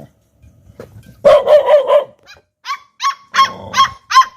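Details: Two Pit Bull puppies barking at people: a run of four quick, husky, mid-pitched barks, a short pause, then five sharp, high yaps in close succession.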